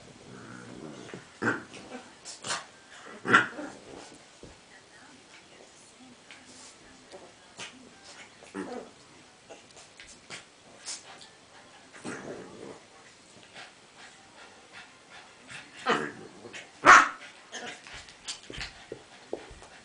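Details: An 8-week-old black and tan Cavalier King Charles Spaniel puppy named Ollie plays with his friend Henry, giving scattered short yips and soft whimpers amid scuffling and occasional human voices.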